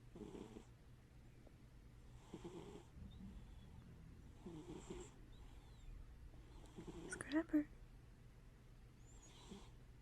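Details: Scrapper, a domestic cat, sleeping with one eye open and snoring: soft breathy snores repeat about every two seconds, with one sharper louder click or snort midway through, against a faint background hum.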